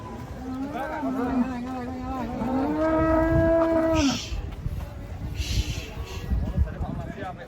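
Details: Raging bovine with a broken horn, taken off a truck, holds one long, steady, low moo for about four seconds before it cuts off, followed by scattered thumps and voices.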